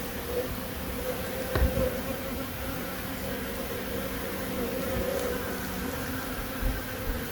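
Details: Honey bee buzzing recorded in Himachal Pradesh, India: a continuous drone with a steady lower tone and a wavering higher whine that swells and fades, plus a few soft thumps and a faint background hiss.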